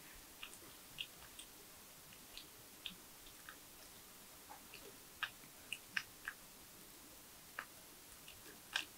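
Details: Porcupine feeding on nuts, bananas, sweet potatoes, apples and carrots, recorded close up for ASMR; sharp, irregular crunching and gnawing clicks, some spaced about a second apart, over a quiet indoor background.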